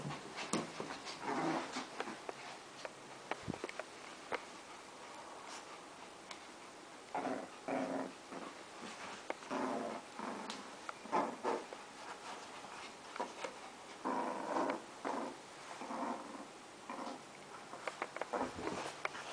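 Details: Two pet dogs, Jaxon and Bowie, tussle indoors over a plush crab toy; bursts of low rumbling growls come in uneven runs of a second or two, broken by sharp clicks and scuffling thuds from the play fight.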